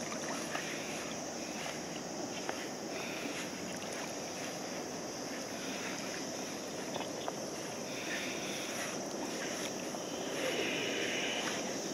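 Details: Steady outdoor wind and rustling noise with faint distant voices fill the recording, with no animal call standing out.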